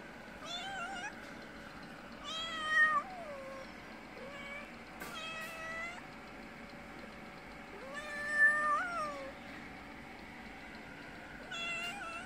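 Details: Mother cat with a little kitten asking for food outdoors; a series of repeated meows several seconds apart, some strong and rising-falling, others shorter and softer, over a steady low background hum.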